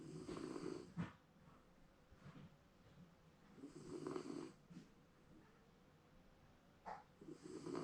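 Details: Shiba Inu napping contentedly at home, snoring in low rasping bursts about a second long, separated by quiet breathing gaps of roughly three seconds, with a few soft clicks and rustles in a quiet indoor room.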